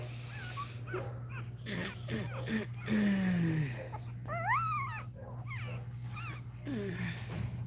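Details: Cane Corso dog crying while another dog, Cashmere, is in labour; high, wavering whines bend up and down around 4.5 to 5 seconds, with low indoor hum and quiet human voices throughout.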